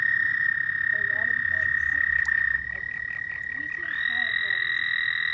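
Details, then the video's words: Frogs calling at night: a long, steady, high-pitched trill held for the whole stretch, a second trill sliding in near four seconds, and scattered short lower croaking notes around one and four seconds. "Frog night sounds"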